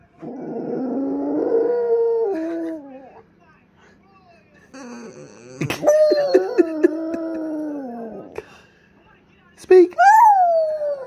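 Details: Female French Bulldog moaning: drawn-out wavering howls that slide downward, a rough grumbling stretch in the middle, and a final sharp rising yelp, with a human voice briefly present.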